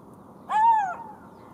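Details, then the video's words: Golden jackal howl: a single clear tonal note that rises slightly and then falls away, about half a second long, with strong harmonics over a soft background hiss. "Golden Jackal sound call / תן מילל"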